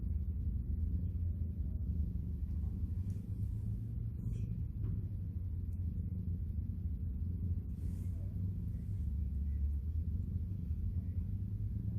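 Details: Low rumbling traffic noise dominates throughout, with a few faint clicks and knocks and no clear animal voice.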